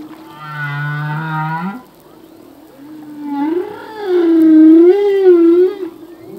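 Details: Humpback whale song by a male: a low buzzing groan sliding upward, a pause, then a warbling moan that wavers up and down several times.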